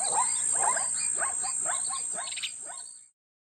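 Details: Zebra at Lion Sands Game Reserve gives a quick series of yelping, barking calls, each a rising-then-falling squeal, communicating with other zebras.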